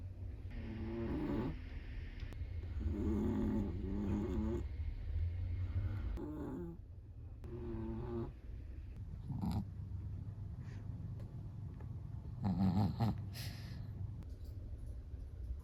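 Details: Chihuahua asleep, snoring in uneven rasping breaths with soft low rumbles, some louder snorts, quieter stretches between breaths, and a few faint clicks and rustles.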